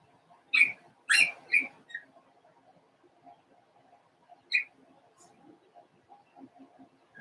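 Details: Daisy's Cavalier King Charles Spaniel puppies, four weeks old, in a puppy pen: a burst of sharp, high squeaky yelps, three close together and another a few seconds later, over soft low murmuring in the background.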